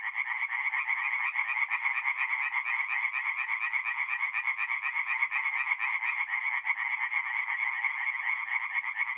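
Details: Night-time tree frog chorus at a forest pond in north-east Italy, mid-April; overlapping rapid croaks keep up a loud, even rattle with no pauses and no other sounds.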